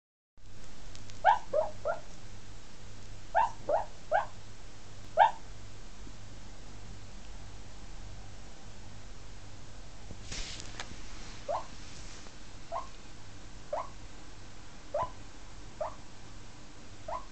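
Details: Female Jack Russell Terrier puppy asleep indoors, making strange noises while sleeping; short squeaky whimpers in quick clusters of two or three over the first five seconds, then single thin squeaks spaced a second or two apart, over a steady low hum.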